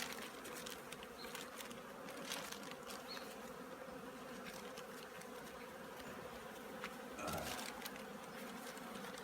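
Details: Honey bees at an apiary busy preparing for winter, a steady low droning hum of many wings held throughout, with scattered sharp clicks and taps over the top.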